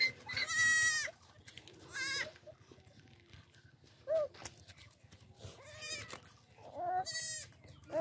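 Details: Baby goats with a human baby, giving high, wavering, strongly harmonic bleats, several short cries spaced a second or two apart, with faint rustling between them.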